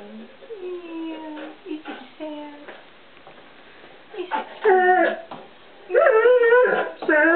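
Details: Ozzy the one-year-old English Setter puppy 'sings' in a kitchen hoping for treats, giving long tonal whines that slide up and down in pitch, broken by pauses, while a woman speaks to him.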